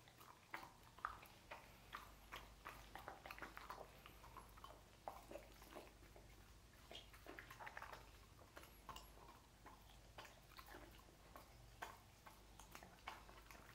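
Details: A dog named Lucy eating sausages indoors, a dense run of wet chewing and smacking clicks, many short broadband bursts in quick succession over a quiet room background.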